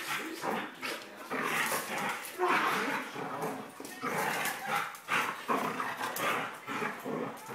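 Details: Playing male Border Collie snarls, growls and yaps in rapid, uneven bursts while wrestling with a person who became his playmate as a puppy; a woman's voice is heard now and then.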